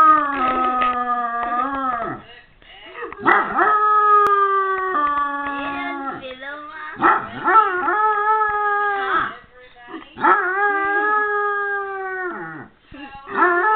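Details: A Basset Hound bays in drawn-out, mournful, wavering howls that slide downward, each a second or two with short gaps, reacting to a dog barking in a video; a person's voice is faint in the background.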